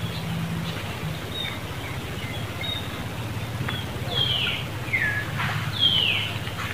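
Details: Monkey in Cambodia, Angela, reacting on seeing another monkey near Lucie: three high squeals, each sliding sharply downward, come in quick succession over the last three seconds above a steady low hum and faint background chirps.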